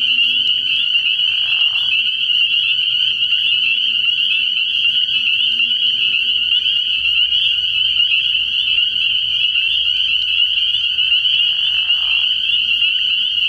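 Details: Night chorus of spring peepers at a frog pond in early spring: countless high peeps blend into a continuous piercing trill, broken twice by short, lower raspy bursts near the start and toward the end.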